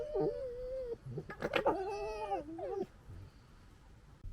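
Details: Fighting fox in 2021 giving a drawn-out wavering whine, then a quick burst of harsh stuttered chatters, followed by strained, bending moans that drop off sharply, leaving a quiet background.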